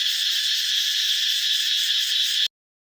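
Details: Morning cicada cries in forest near the new year: an intense steady high-pitched buzz, slightly pulsing, holding for two and a half seconds and then cutting off sharply into silence.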